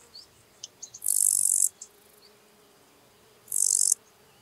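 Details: Lesser marsh grasshopper in Elsbethen, Austria, 27 July 2019, giving two brief hissing high chirps about two and a half seconds apart, with faint clicks and ticks around the first.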